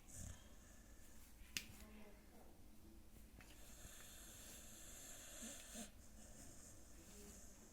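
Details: Pet dog asleep indoors, snoring: soft, breathy, hissing exhales that recur every few seconds, with a faint snort among them, in a quiet small room.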